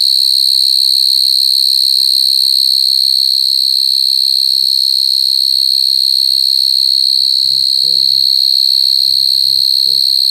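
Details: Coconut crickets crying: a steady, unbroken high trill with faint overtones runs through the whole recording, and brief low murmuring sounds appear near the end.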